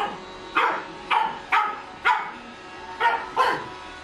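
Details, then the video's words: A female pug puppy, seeing a running Roomba robot vacuum for the first time, barks at it: six short, high, sharp barks in irregular pairs and singles. "Pug Puppy Barking while Roomba Working"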